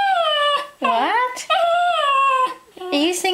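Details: Indoors, the Cairn Terrier Theo sings for his ball with long sustained howls. A note dips low and then rises, and a flat falling howl follows. A person's voice is heard between the notes.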